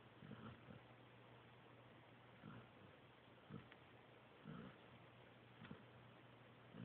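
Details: Joby, a sleeping pointer pup, snoring: soft, low rumbling snore bursts arriving unevenly about once a second, some doubled, over a steady low electrical hum indoors.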